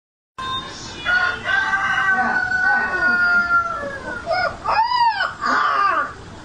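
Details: Siberian Husky. A Siberian Husky puppy lets out a long, tonal howl that holds steady, then bends downward. Shorter arched yelps follow, each climbing and falling quickly, giving a crowing, yodel-like effect.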